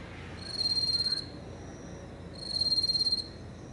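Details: Small yellow bell singing at night in grass near a fence, 9 September 2018, recorded up close: two brief shrill, rapidly pulsed trill bursts separated by about two seconds of near silence.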